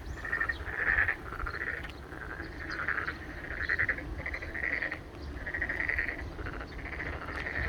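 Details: Boreal digging frogs calling in the garden at Ojukheon in Korea: repeated nasal, bleating calls that overlap in a steady chorus, with several callers answering one another about every second.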